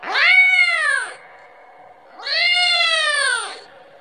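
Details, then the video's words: Kitten crying for its mother, wanting milk: two long, loud, harmonic-rich meows that rise then fall, separated by a short pause, recorded close up in a quiet setting. "suara anak kucing memanggil- manggil ibunya 🤣🤣🤣minta susu"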